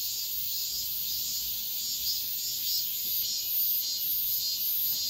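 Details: At daybreak in high summer, cicadas keep up an unbroken, hissing high drone with gentle rhythmic rises in loudness, nothing else prominent.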